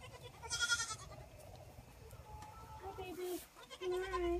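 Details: Bottle-fed orphaned Boer goat kids at a six-bottle wooden feeder, filmed on an iPhone propped on a gate; one strong quavering bleat early, then softer bleats near the end, with a person talking in between.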